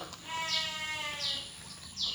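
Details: Sheep penned on a farm, recently fed concentrate: one long wavering bleat with rich stacked harmonics lasting about a second, then fading, with a man speaking Javanese and hissy noise nearby.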